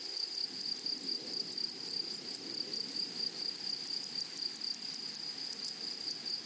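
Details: Unbroken high-pitched insect trill from grasshoppers in a flowery meadow, level and steady, accompanied by quick ticking pulses higher still and a soft low rumble of ambient noise.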